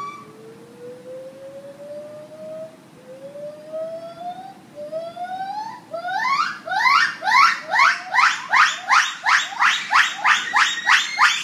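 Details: Gibbon singing a morning serenade at Chicago's Lincoln Park Zoo: slow rising whistled notes climbing step by step in pitch and speed, building into a loud fast run of swooping hoots repeated about three times a second.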